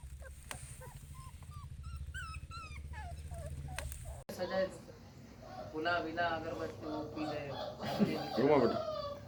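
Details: Puppies offered for sale in India give thin, high whimpers that bend up and down, several short whines over a steady low hum for about four seconds before human speech takes over.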